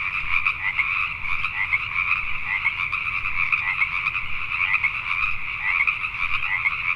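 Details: At night in Richmond, British Columbia, Canada, a throng of Pacific tree frogs keeps up dense, ratcheting croaks that pulse irregularly without pause, over faint low-frequency background noise.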